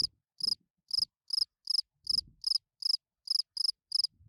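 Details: Spring field cricket chirping at night to attract females from its burrow; steady run of bright pulsed chirps about every 0.4 seconds, with occasional low thumps.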